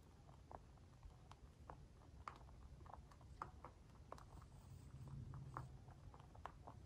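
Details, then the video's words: White mini lop dwarf rabbit, free range, eating food: a quick series of soft crunchy bites, several per second, over a low steady indoor rumble. "Crunchy mouth sounds | Cute bunny"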